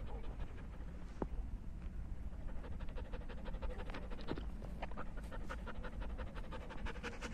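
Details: Rapid, rhythmic breathy panting from a German Shepherd at play with its owner in nature, the short puffs coming several times a second above a constant low wind rumble.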